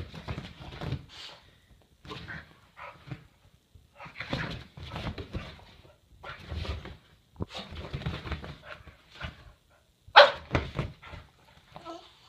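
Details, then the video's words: Boston Terrier named Toro doing zoomies and wanting to play, giving irregular short rough bursts of grunting and barking sounds separated by brief pauses, with one sharper, louder yelp-like bark near the end. "Boston Terrier doing zoomies wanting to play!"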